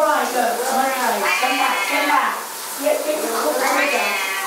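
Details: Two Siamese cats yowling at shower time, their drawn-out wavering meows mixed with a person talking over them.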